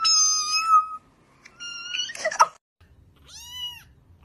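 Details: Domestic cat giving a series of clear, high, tonal meows: one long drawn-out call, a shorter one after a pause, then a final bright meow. The room is otherwise quiet apart from faint low rumbling.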